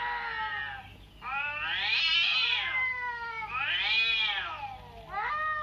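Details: Cat meows heard by a pet cat in a reaction test: three long, wavering, plaintive calls that swell and fade, the middle two drawn out for over a second each, over a low background hum.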